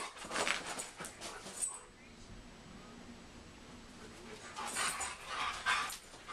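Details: A German Shepherd and a Siberian Husky face off, giving rough, breathy growls and huffs in two short noisy bursts with quiet gaps between.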